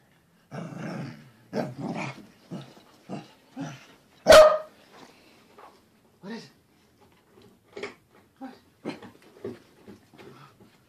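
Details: Corgi giving a string of short, rough barks and grunting yaps, spaced irregularly through the stretch with one sharp, loud bark near the middle, then quieter clipped woofs trailing off.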